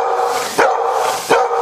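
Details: Domestic dog giving two brief, sharp barks amid loud, continuous background noise.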